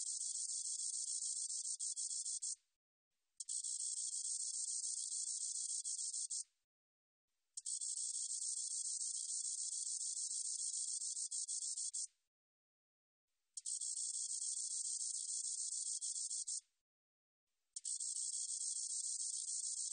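A spotted meadow katydid sings in long, high, hissing buzzes separated by brief pauses.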